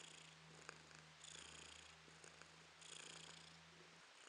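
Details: Romashka the cat purring, April 2022: breathy rhythmic swells roughly every one and a half seconds over a constant low electrical hum that stops near the end.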